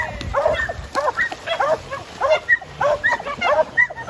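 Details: Tri colour Border Collie Jed, a male about to turn 7, on a farm urging people along on schedule; sharp, ringing barks repeat roughly twice a second in an insistent run.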